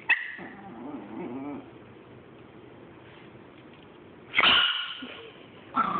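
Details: Chihuahua hoarding and facing off against a Boston Terrier: a low rumbling growl lasting about a second and a half, a quiet pause, then two sharp, high, snapping snarl-yaps close together near the end.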